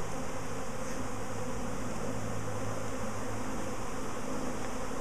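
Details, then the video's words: Honey bees in a repeat swarm, queen believed at the top of the cluster, giving a thick, even low-pitched buzzing hum from many insects throughout. "BEE SWARM 2"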